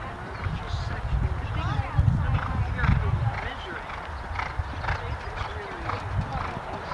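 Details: Horse during a jumpers round at a horse show, heavy low rhythmic hoofbeats thudding quickly and unevenly, with people talking and crowd noise in the background.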